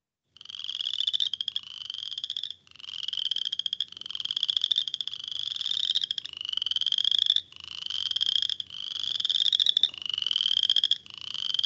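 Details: Boreal Chorus Frog, named after the cricket for its call, first to call in spring, often while snow remains, breeding in temporary snowmelt pools: a run of about ten rapid, rising, creaky pulsed trills, overlapping like a small chorus.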